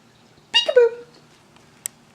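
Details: Almost-14-year-old pet Siberian Husky named Tundra, reacting to a peek-a-boo game indoors: one short harmonic whine-howl that slides downward and fades, then a faint click; a person's voice calls peek-a-boo just before.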